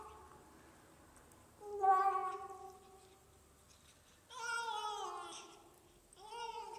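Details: Pet cat named Marly making a funny sound while eating: two drawn-out, harmonic meowing wails, the second sliding downward, followed by a shorter third cry, in a quiet indoor room.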